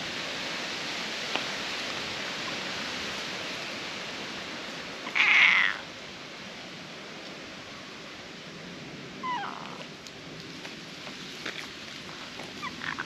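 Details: Fox-like cat that jumped onto an embankment, calling to demand petting; one loud strained meow around five seconds in, a fainter short call near nine seconds, over steady outdoor background noise.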